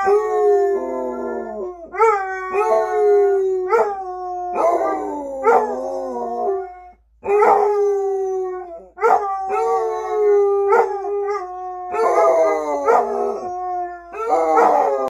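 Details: Maggie and Eeyore, a pair of Basset Hounds, in a steady run of howls, their usual habit: repeated mournful bays, each rising sharply then sagging into a long falling tone, coming roughly every second with voices overlapping and almost no pause.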